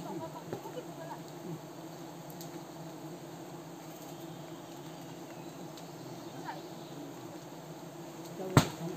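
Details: Himalayan cliff honey bees disturbed during a risky honey harvest by villagers in Wui village; a steady, low droning hum with layered overtones runs unbroken throughout, faint and even, ending with a sharp knock.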